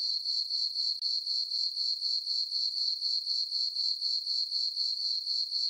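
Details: Summer-night crickets in a moonlit farm meadow: a constant shrill chirping band, beating in even pulses roughly four per second, with one brief dip near the first second and nothing else audible.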